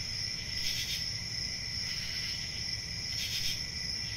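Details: A continuous shrill cricket trill holds steady throughout, layered over a fainter lower ringing tone. Short swells of louder chirping rise near one second and again at three and a half seconds against a low background hum.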